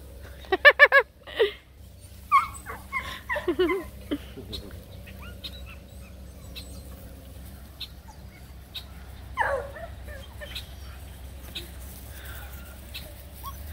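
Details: Redbone Coonhound puppies romping with a Bluetick Coonhound puppy; short high yips and whimpering yelps in quick bursts near the start, a scattered few mid-clip, then one sharp yelp later, over a low steady hum.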